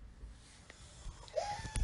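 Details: A Boston Terrier, the family dog, gives a brief, rising nasal whine with soft snorting breaths in the background of a quiet room.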